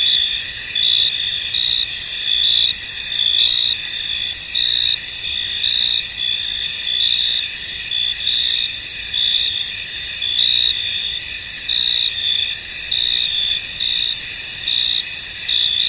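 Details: Many crickets chirp in a misty, foggy field: a dense, steady, high-pitched trilling chorus with a brighter pulsing layer that swells and fades in short bursts. No other clear sounds.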